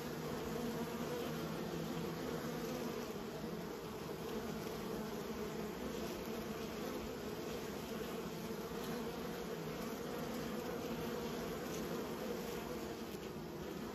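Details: Kept honey bees humming together in a constant thick buzz, layered tones in the low-mid range holding steady for the whole stretch, a few faint clicks near the end.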